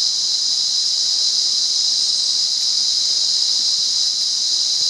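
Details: Sri Lankan cicada, wild, recorded at Monaragala: an intense steady high-pitched whine running without interruption from start to finish, even in loudness, with nothing else clearly audible.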